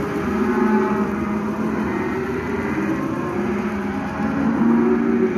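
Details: Calves in lot 4 at Lago Escondido: a dense, continuous chorus of low overlapping moos and bellows from several animals calling at once, with no pauses, over a steady background din.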